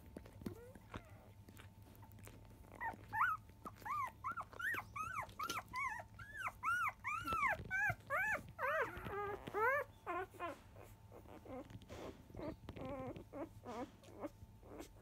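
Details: Five-day-old field-type Labrador Retriever puppies indoors during a 10 a.m. nursing session, giving a rapid run of high, arching squeaky whimpers with clear overtones, about two to three per second, over a steady low hum.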